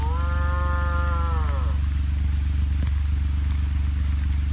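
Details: Young heifer separated from the ranch herd gives a single level bawl that sags at its end, followed by quiet; a continuous low humming drone runs beneath throughout.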